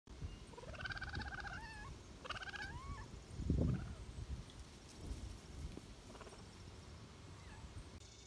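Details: Three-month-old captive cheetah cubs, four of them, feeding on meat treats such as thawed rabbit carcasses; bright harmonic chirps with rising and falling pitch come in two bursts near the start, over low rumbling handling noise.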